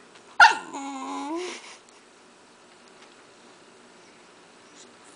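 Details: Indoor Shiba Inu, wanting cheese, gives one abrupt yelp that stretches into a single long, nasal whine lasting about a second. Near silence follows.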